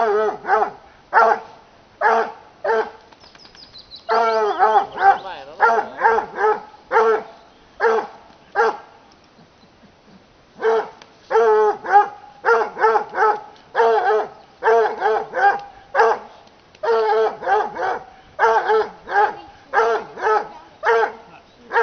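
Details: Bluetick Coonhounds (Canis familiaris) bay at wild boar during a hunt in Sweden, giving rapid, resonant bursts with a few longer drawn-out howling notes among them.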